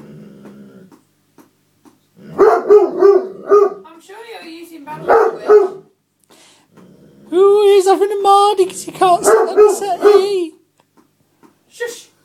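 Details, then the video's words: Otterhound/Spinone cross, a pet dog, throws a barking tantrum over someone sitting in his seat: runs of quick, yelping barks mixed with a whiny drawn-out vocalisation, with a man's voice speaking in between. "Otter hound/Spinnone Max Having A Tantrum"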